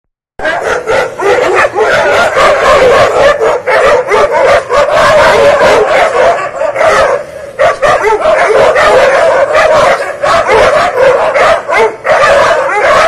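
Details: Dogs in a territory fight: harsh, overlapping barks and yelps pour out in a dense, almost unbroken stream, several per second, with brief dips in loudness around the seventh second before the frantic barking resumes.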